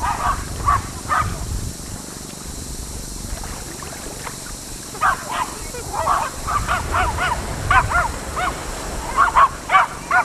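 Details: Four Jack Russell Terriers on Laem Ka beach, Phuket, Thailand, give short, sharp, high barks in irregular bursts over steady surf.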